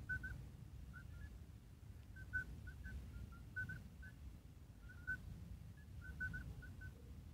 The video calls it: Call of midwife toads